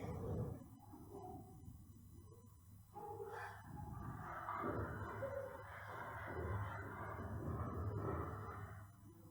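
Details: Grade-two French Bulldogs with brachycephalic obstructive airway syndrome breathe noisily, with rough, rasping snorts and wheezes from an obstructed airway, shown as examples for respiratory function grading.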